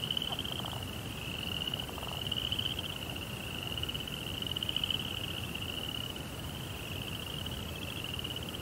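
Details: Crickets chirping at night: a steady, high, finely pulsed trill holding one pitch without a break, over a low rumbling background hiss, with a few faint, brief lower buzzy bursts early on.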